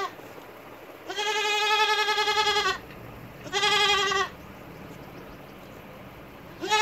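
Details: Goat bleating: two long, steady, nasal bleats of about one and a half and one second, separated by a quiet pause, with a third bleat starting at the very end over low background hiss.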